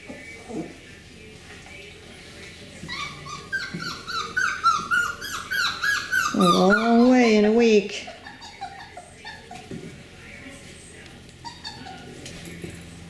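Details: Beagle puppies from the Camo and Buddy litter, females, filmed 4/18/20, give a rapid run of high, wavering yelps and whines that swell into a loud, drawn-out falling cry, then fade; a person talks before and after.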